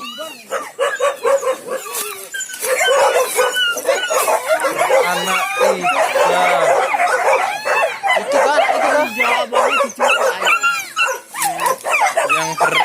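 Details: Newborn village dog puppies from a litter of four just born to their mother, crying in a dense chorus of overlapping high whines and squeals that rise and fall, with a person talking over them.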